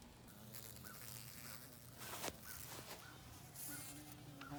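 A low, steady hum from a carpenter bee comes and goes, swelling as the insect passes closer. Short, high chirps from birds and a soft outdoor hiss sit in the background.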